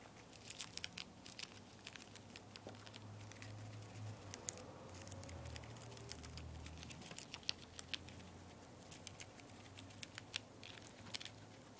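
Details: A two-month-old guinea pig named Poporn munching lettuce indoors, with sharp, irregular crunching and tearing clicks throughout and a soft low hum in the middle.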